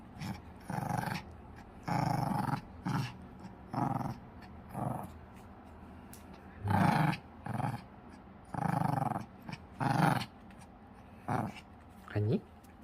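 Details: Pomeranian dog playing with a ball indoors, growling in short rough low bursts, about a dozen across the stretch and spaced roughly a second apart, while its owner urges it to bring the ball back.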